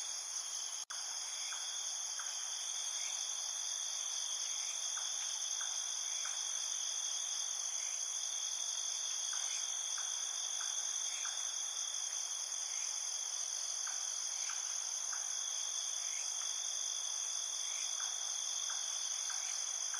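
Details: A dense night chorus of crickets in a field, trilling steadily at several high pitches, with softer chirps underneath.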